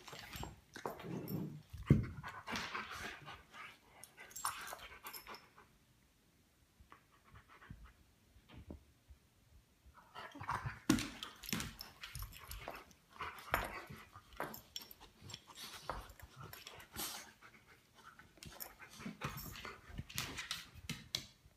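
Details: Cubacca and Luna, a pair of Great Pyrenees, play fight lazily indoors in the living room; bursts of breathy panting and low grumbling mixed with scuffles, a quieter stretch midway, then renewed rough play.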